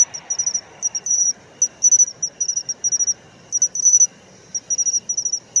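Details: Autumn song of a matsumushi, or pine cricket, known as chin-chiro-rin: crisp high tinkling pulses grouped in short bursts every half second or so, with a low murmur of other insects behind.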